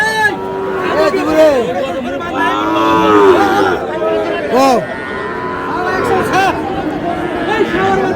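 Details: Cattle market scene in Madaripur, Bangladesh, where a Sahiwal bull is bought on 14 May. Several short, bending moos and lows come in quick succession, set against steady human conversation and market bustle.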